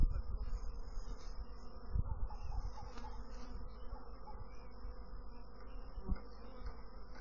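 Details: Bees giving a dense, continuous low droning hum with a steady level throughout and a few brief louder thumps near two and six seconds.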